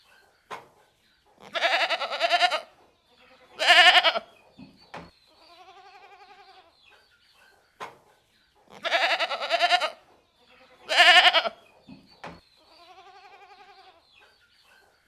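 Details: Goats bleating: loud, harsh, quavering bleats about a second long, coming in pairs, with softer wavering bleats in between and a few sharp clicks or knocks.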